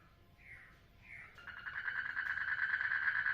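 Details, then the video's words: Frog in a water lily pond during mating: two short falling chirps, then a rapid pulsed trill that builds steadily in loudness to the end. "FROGS MATING IN WATER LILY POND"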